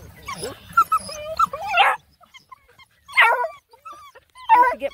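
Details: Nine Black and Tan Coonhound puppies out hiking around a pond give short, strained yelping cries in three bursts about 1.4 seconds apart, mixed with a human voice.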